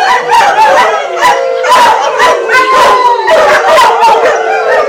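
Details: Adopted greyhounds howling in chorus at a picnic in Atlantic Canada, 2010; layered wavering howls with pulsing yips repeated about every half second, loud and continuous.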